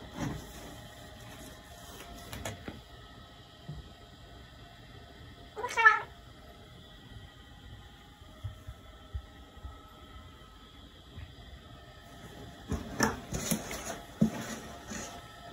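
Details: A 2-year-old male Maine Coon cat (Felis catus) gives one short, clear meow in an otherwise quiet room.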